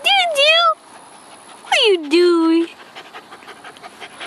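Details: Pet female dog making odd vocal sounds while pulling a strange face and licking her lips: two bursts of stacked, sliding whine-like tones, the second falling then holding steady, followed by quieter rustling.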